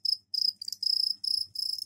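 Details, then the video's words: Captive crickets crowding a soil container to find egg-laying spots, described as singing deafeningly; loud high pulsed trills in bursts of roughly a quarter to half second, closely repeated with brief gaps. "Сверчковые трели"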